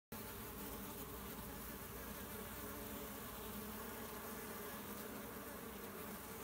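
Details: Honey bees at a hive in Vendée, France: a dense, steady, even buzzing hum of many bees that does not let up for the whole stretch.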